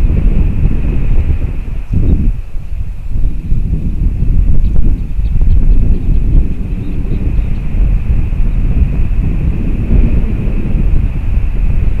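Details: Heavy wind rumble and low vehicle or aircraft drone with a faint steady high hum; no animal calls.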